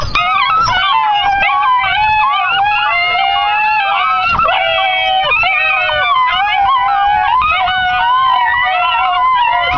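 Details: Treeing hound puppies, six and a half weeks old, howling in chorus while waiting for food; many overlapping wavering, sliding howls and yelps sound continuously throughout.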